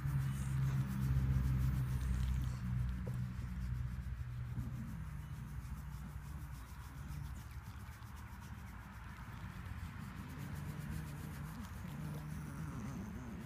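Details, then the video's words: Female pet dog making odd noises while being scratched, recorded by hand on an iPhone: low, drawn-out moaning tones in the first seconds, then mostly soft rubbing and scratching sounds. "Dog making wierd noises when scratched"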